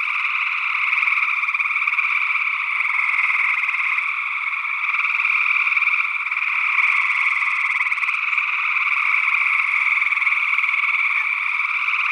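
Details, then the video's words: Gray tree frog calls from Northwest Wisconsin in early June 2022, captured with paired condenser microphones in ORTF. Many frogs trill at once in a constant dense chorus with no gaps, alongside an unidentified second frog species. "Gray Tree Frog Calls"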